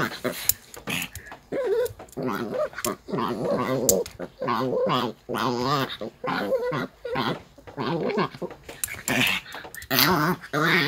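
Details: Annoyed grumbling from Bom, a Maltese, during brushing: long runs of wobbling, warbling moans that rise and fall in pitch, broken by short silences and faint handling noises.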